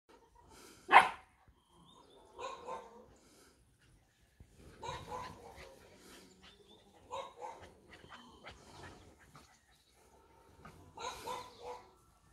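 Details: Longcoat isabella (lilac) German Shepherd puppies: one loud sharp yelp, then a series of softer squeaky whimpers and short whines in scattered bursts, separated by quiet pauses.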